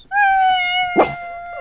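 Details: Little pug in a car during territorial defending. A steady, drawn-out howling whine holds an even pitch, with a brief rough burst in the middle, and a woman speaks just afterward.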